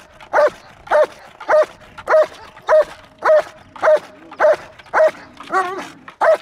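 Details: German Shepherd barking during a guarding exercise: deep, evenly spaced barks about every half second, eleven in all, the tenth drawn out into a wavering growl-like bark; no other clear sounds.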